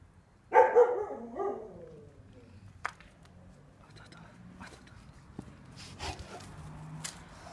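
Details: Neapolitan Mastiff training with wooden dumbbells, one heavy double-pulsed bark near the start, then a quiet stretch with faint clicks and low background rumble.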